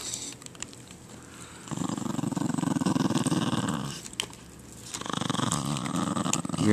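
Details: Patterdale Terrier growling, a low buzzing rumble in two extended bursts separated by a pause, with a person's voice scolding the dog.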